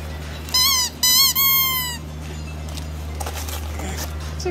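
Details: German Shepherd named Kayla, a female, at Christmas while gifts are opened; three high, drawn-out whines in quick succession, each with a slight rise then a falling tail, followed by low household rustling and a steady hum.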